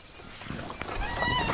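An impala sounds a brief, harsh nasal snort, the alarm call that warns the herd of danger. The call stands out against a rough background of wind and distant rustling.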